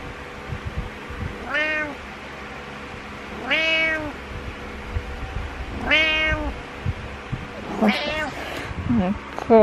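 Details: Butters, a pet cat, doing his morning meows indoors: four arched, harmonic-rich meows spaced about two seconds apart, the last rougher and rising, over a low steady hum.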